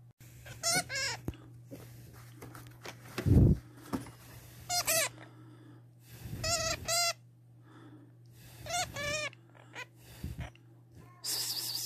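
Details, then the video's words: Pet hamster squeaking indoors: bursts of high, wavering, shrill squeaks, each lasting about half a second, repeated in irregular clusters every two to three seconds, with a steady low hum and occasional handling thumps between them. "صوت الهامستر ستسمعه لأول مرة Hamster sound"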